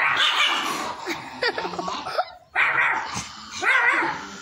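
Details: Pet dog reacting to a fake wolf prank gives sharp yipping barks in two bursts with a short silent gap between them, the calls loud and clear.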